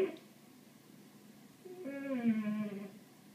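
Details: Ralph, a pet cat that cannot help himself around birds, gives one drawn-out harmonic meow lasting about a second, steady then slightly falling, against a quiet background.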